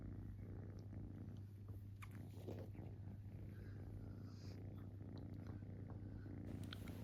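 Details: A kitten purring while relaxing, the low pulsed rumble mixed with small clicks, licking or nibbling sounds and light rustling, over a steady background hum.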